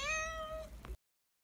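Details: Shy stray cat met by chance on the street, giving one clear, drawn-out meow with a steady, slightly falling tone lasting under a second, followed by a faint click and then silence.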